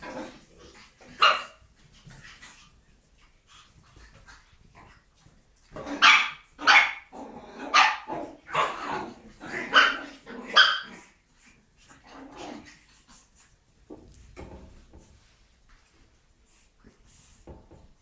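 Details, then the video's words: Brussels Griffon, a small breed originally bred to hunt rats, barking: a run of sharp, high yappy barks in quick succession after a few isolated ones, then quieter sounds trailing off. "BRUSSELS GRIFFON"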